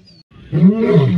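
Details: Male lions of rival coalitions fighting, recorded 29 December 2023: after a short quiet start, a deep, rough, harmonic-rich growl swells and holds for about half a second at the end.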